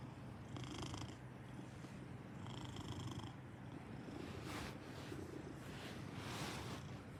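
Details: Continuous deep purring from a Maine Coon, an even low vibration, with a few brief higher scratchy sounds partway through.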